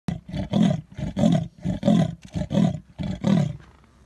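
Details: A leopard calling on a safari drive at Sabi Sands, South Africa, gives a rhythmic series of deep, rasping grunts, like a saw drawn back and forth.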